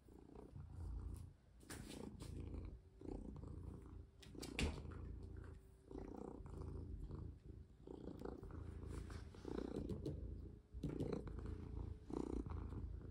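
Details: Pet cat purring as its owner plays with it and rests a hand on its paw; a continuous low rumbling purr, rising and falling with each breath, broken by rustling and touches.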